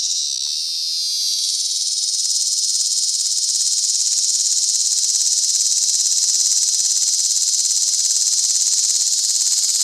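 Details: A Tibicen tremulus (bottomland dog-day) cicada in a collapsible cage at Sandhills State Park, Reno County, Kansas, on August 2, 2011, gives a loud, steady, shrill buzz; T. lyricen and T. pruinosus sing in the background.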